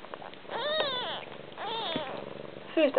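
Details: Siamese kitten mistakenly suckling its mother's paw rather than nursing beside its littermates, giving two drawn-out, bending meows about a second apart, then a short squeaky mew at the end, over a low purring background.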